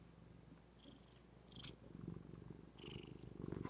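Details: Low rumbling purr from Zephy, a female house cat, building in strength over the second half, broken by a few short bright clicks and rustles.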